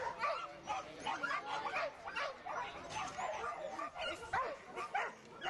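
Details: Border Collie giving short, high yips and barks roughly twice a second, uneven in spacing, with human speech mixed in beneath.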